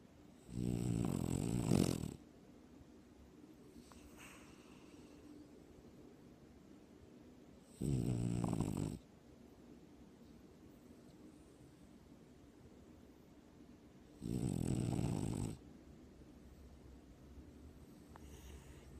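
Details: Dog asleep, giving three deep, raspy snores, each one to two seconds long, returning roughly every six to seven seconds against a quiet indoor background.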